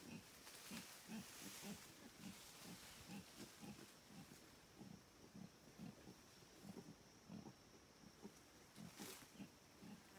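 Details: Wild howler monkeys in the Paraguayan jungle, a deep guttural chorus of low rasping grunts pulsing roughly twice a second throughout, with a steady high insect hum and occasional bursts of hiss in the background.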